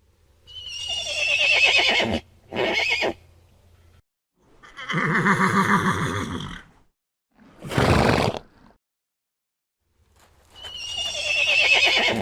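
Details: Horses neighing, from a herd: high shrill whinnies that quaver and fall, separated by short gaps, with a lower rough neigh and a brief harsh snort between them.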